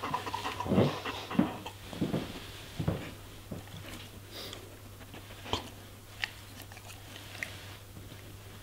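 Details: German Shepherd eating vegetables and fruits: loud, wet crunching and chewing bursts in the first three seconds, then quieter, scattered crunches and clicks, over a steady low hum.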